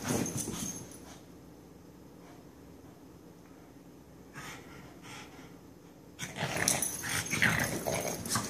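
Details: Benny and Lilly, two pet dogs in another wild romp, give harsh wheezy growls at the start, fall nearly silent for several seconds, then burst into loud noisy snarling and scrabbling toward the end.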